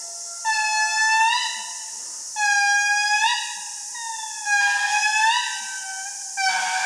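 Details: Indri lemurs in Andasibe Forest, Madagascar, sing loud, eerie wailing notes that rise at the end; the song carries about 2 km, signalling their location and warning other groups off their territory.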